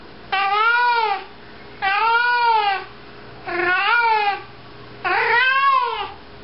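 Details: Maggie, a house cat, meows while walking around with a sock in her mouth: four loud, long, arching meows, each about a second long, separated by short pauses, indoors with a quiet background hum.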